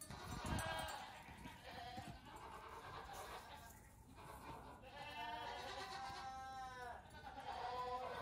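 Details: Several goat kids about two weeks old bleat while playing outdoors on a farm in the morning, giving quivering, vibrato bleats early on and again from five to eight seconds, over a steady background of shuffling noise.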